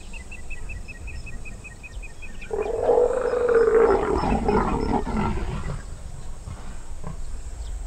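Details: Wild male and female leopards mating high in a sausage tree in Botswana's Moremi Game Reserve, in an aggressive, very loud display initiated by the female: a harsh rasping snarl-growl lasting about three seconds, fading off. A bird pipes steadily beforehand over constant insect hiss.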